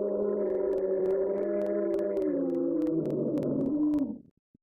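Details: Dogs left alone in the house, howling together. Long, sustained layered howls hold level, then bend downward and waver near the end before stopping abruptly into silence.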